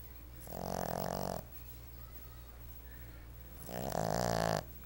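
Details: A seven-month-old male Boston Terrier puppy napping snores in long, rattling, nasal breaths, two slow snores a few seconds apart.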